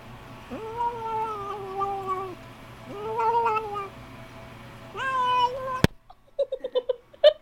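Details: A little found kitten making weird sounds while he eats: drawn-out nasal wavering tones, a shorter one, then a rising whine, followed by a sharp click and soft chewing noises.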